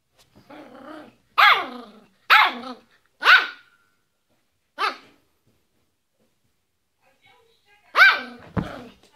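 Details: Yorkshire Terrier named Fido barking in an irregular run: a soft bark, three sharp yaps about a second apart, a lone bark after a pause, then a long silence before a final bark and a low thump.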